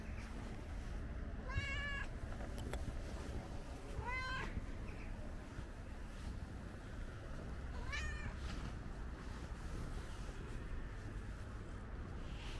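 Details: Ginger stray cat, curious and inspecting the camera, meows three times, the calls spaced two to four seconds apart. Each meow is a brief, slightly bent, tonal cry over a constant low rumble.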